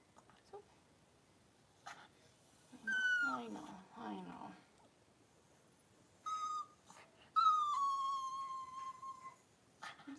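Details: Cavalier King Charles Spaniel indoors while Daisy gives birth to six puppies in two hours: a thin high whine falling in pitch, a rough buzzy stretch, then a short whine and a long steady whine held nearly two seconds, with quiet pauses between.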